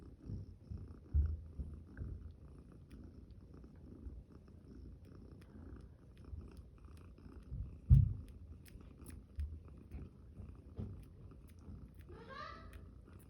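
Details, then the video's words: Champagne cream tabby kitten on day five, with littermates yawning and playing: low purring throughout, a couple of soft knocks, and a short high squeaky mew near the end. "Cute kittens yawning, playing and making cute sounds"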